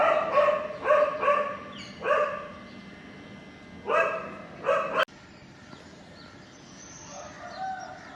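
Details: Puppy feeding on milk from its mother, giving short, clear harmonic yelps in quick bursts, about seven in the first five seconds, then falling quiet with only soft background noise.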